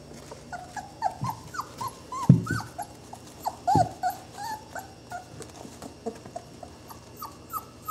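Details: A litter of 20-day-old Saluki puppies whines and whimpers with arching, squeaky calls, broken by a few dull low thumps, the cries coming irregularly throughout.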